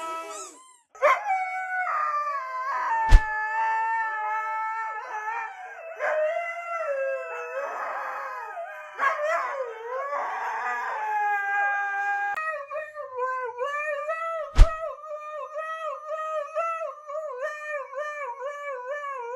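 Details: Siberian Huskies howling and screaming: long wavering howls with shifting pitch, some yips and sharp knocks, ending in a steady repeated warbling howl that pulses up and down about twice per second.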